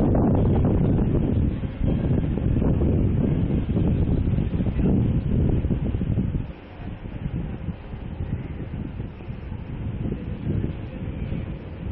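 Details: Heavy wind buffeting the microphone with low rumbling throughout, easing slightly after six seconds, and no animal calls.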